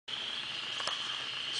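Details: Frogs calling on a 52-degree Sunday morning nature walk on April 5th: a dense, steady high-pitched trilling chorus that holds without a break, with a faint tap near the middle.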